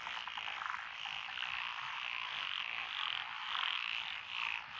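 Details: Dense night chorus of frogs, including Japanese tree frogs and pond frogs, in lotus rice paddies along a rural road in Echizen, Fukui, Japan, June 2021; continuous overlapping croaks and trills fill the scene without pause.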